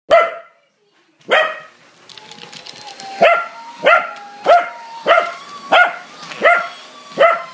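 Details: Corgi, a pet dog, barking angrily at a running vacuum cleaner: sharp, loud barks, two isolated then a steady run of about seven roughly every 0.6 seconds, over the vacuum's steady whine.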